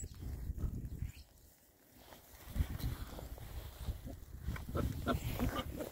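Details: Oxford Sandy and Black pigs, a group of six boys foraging outdoors in winter between storms, give deep, short oinks in uneven clusters, pausing briefly before the grunting resumes amid soft rooting noises.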